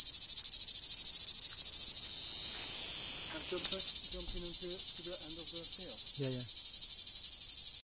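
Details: In Greece, cicadas give a loud, unbroken high-pitched buzzing that turns into a fast pulsing rattle, with people talking.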